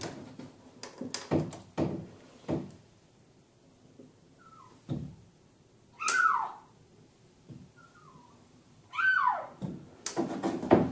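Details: Male kitten Mugi, trapped inside the wall of an empty neighbouring house due for demolition, cries out in the morning; a few short falling meows come between heavy thuds and knocks of the wall being broken open.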